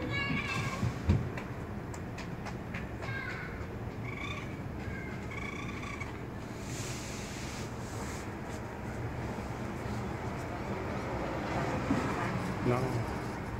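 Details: Raccoon kits calling as their mother leaves; one tries to follow and falls from the second floor. A quick series of high, mewing chirps with harmonics fills the opening seconds, then low background noise and distant voices.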